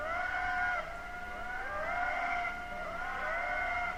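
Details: Wild indri lemurs in Madagascar, recorded by a passive acoustic monitoring array used to count songs for estimating abundance and distribution: wailing tonal notes that slide and bend, repeated phrases rising then falling roughly every one and a half seconds.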